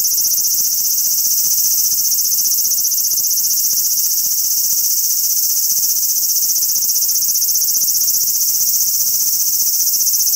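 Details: Continuous frying-pan sizzle from a large brown cicada perched on a cherry tree in a park, steady and dense without breaks, nothing else clearly audible.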